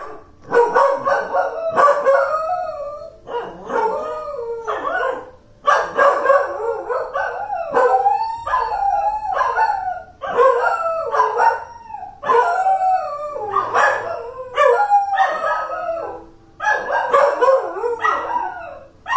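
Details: Two pet dogs howling together indoors: long wavering, sliding howls overlapping in chorus, rising and falling, in bursts of about two seconds separated by short breaths, with no other clear sounds.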